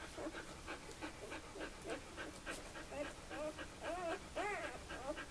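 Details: Newborn puppies, two days old, from the Sweet/Elite litter at Le Domaine des Pertins, give rapid overlapping squeaks and arched, rising-falling whines, several pups crying at once over soft rustling.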